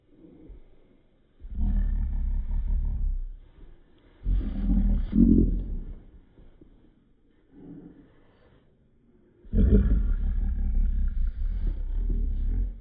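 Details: Young Cocker Spaniel upset with his baby Yoda toy, giving three long, deep, throaty growls, each lasting one to two seconds, separated by quieter pauses and soft grumbles, heard indoors.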